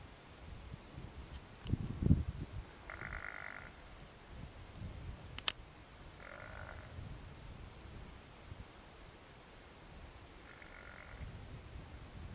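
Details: A wild bighorn ram on a mountain saddle, having spotted a hidden hiker at his hangout, gives three short, nasal bleats about four seconds apart over low wind rumble, guttural calls meaning "you're in my spot".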